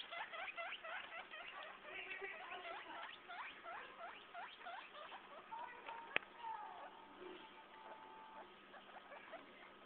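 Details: Four-day-old baby guinea pigs kept as a family give rapid series of short, high, chirping squeaks, several per second, later thinning into a few longer whistled notes, with a sharp click and soft speech nearby.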